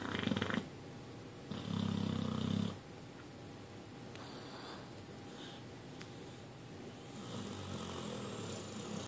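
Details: Sleeping cat named Bud, deep asleep, producing low rumbling noises: an opening burst, then a longer steady buzzing rumble lasting about a second, followed by quiet breathing in a small room.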